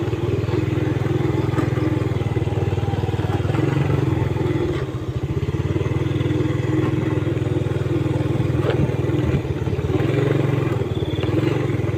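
A steady motorcycle engine rumbles throughout, with clatter and no animal voice.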